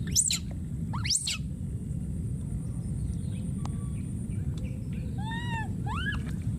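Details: Wild baby monkey screaming and calling for his friend: two steep, high whistled sweeps at the start, then several shorter arched cries with stacked harmonics near the end, over a constant low rumbling background.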